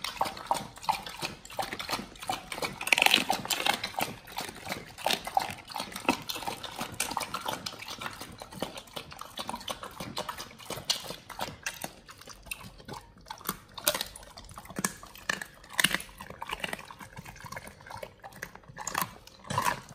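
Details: Pit Bulls devour raw frog legs, soft shell crab and duck feet, producing dense continuous crunching, tearing and wet smacking that grows busier toward the end.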